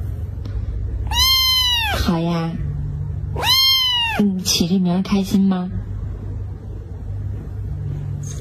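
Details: Two loud, drawn-out meows from Laolao, a talkative pet male cat, followed by a woman's soft voice speaking over a steady low hum.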